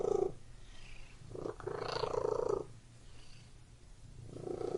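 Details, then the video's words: Indoor house cat giving a soft throaty purr: a short burst at the start, a fuller rumbling phrase in the middle, then a pause before the purring resumes at the end. "Purring Cat in Room"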